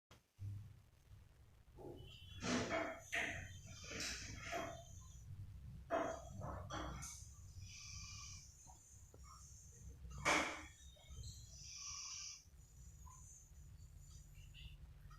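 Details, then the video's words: Burfi, a pet dog, sleeping deeply and snoring: irregular short snorting breaths cluster around the third to seventh seconds, with one louder snort near ten seconds, over a steady low hum. "Dog Snoring"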